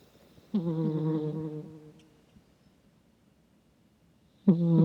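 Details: Cat snoring while asleep, captured with a microphone: one drawn-out, droning snore of about one and a half seconds fades away, then after a silent gap a sharper, louder snore begins.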